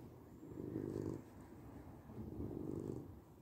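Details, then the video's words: Domestic cat purring steadily, low rumbling pulses swelling and fading with each breath, two broad surges roughly a second and a half apart, soft breathy hiss above, no other sounds. "Cat Purring"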